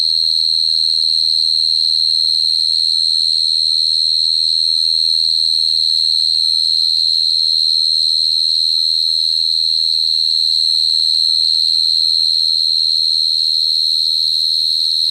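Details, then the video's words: A singing cricket gives an unbroken, piercing high-pitched trill that stays on one note, with rapid even pulsing about four per second and a faint upper overtone, steady low background hum beneath. "Cricket sound effect(cricket sound)"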